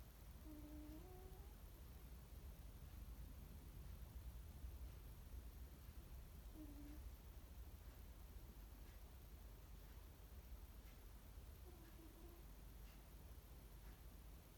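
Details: A sleeping male Ragdoll cat snores softly, with a low tonal wheeze every five to six seconds.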